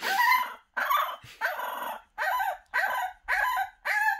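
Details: Bonnie, a French Bulldog puppy, howls in protest at being shut in a box while her pen is cleaned one morning indoors: seven drawn-out, wavering yowls with rising then falling pitch, each about half a second, separated by brief silences.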